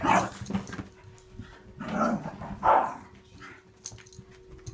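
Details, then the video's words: Playing dogs give short, scattered barks and yips, a quick pair at the start and two louder barks later, set against a thin steady background hum. "The dogs at play"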